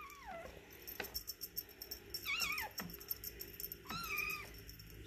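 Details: Silver Egyptian Mau male kitten, eight weeks old, playing with a feather toy, gives three drawn-out meows, the first falling, the later two wavering and level, amid clicks and rustling from play.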